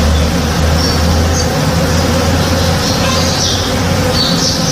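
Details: Honey bees working at a blooming tree in a home backyard in the morning, their massed wingbeats forming a steady, dense, low droning hum without pause, with faint high chirps of birds above.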